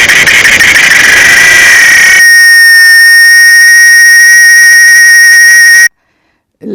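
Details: A cicada sings a loud, steady, ringing drone that holds one shrill pitch without pause; cicadas are heard mostly in summer.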